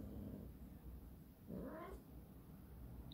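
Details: British Shorthair kittens, a big one and a small one, meeting for the first time, the larger kitten a little nervous; one short rising, harmonic meow midway through over a low steady background hum.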